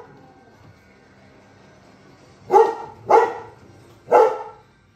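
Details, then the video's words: Yohaulli, a male Giant Schnauzer, confronting Serengeti wildlife with three loud, gruff barks after a quiet start, the last two spaced about a second apart. "Giant schnauzer (Yohaulli) thinks he can take on the animals in the Serengeti"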